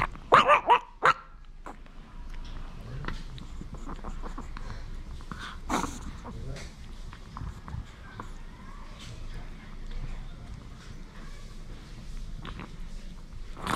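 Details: Male Maltese Jamong, indoors with a snack, warns that he should not be touched while eating. A rapid burst of four or five sharp barks opens, then soft whimpers and faint rustling follow.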